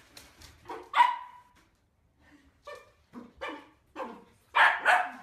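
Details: A pet Dachshund barks in short, sharp bursts: one loud yap, a pause, then a quick run of five or six uneven barks ending in two strong ones.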